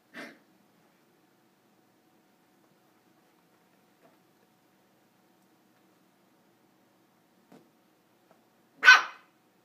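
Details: A Corgi puppy playing on a couch gives two short, sharp barks separated by a long quiet pause.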